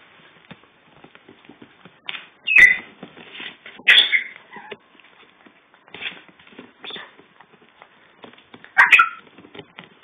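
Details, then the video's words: Puppies days before being rehomed, with a dog named Bubbles; scattered high squeaky yelps and whines, a few sharp, short cries standing out amid constant scuffling and movement noise. "Bubbles & Puppies"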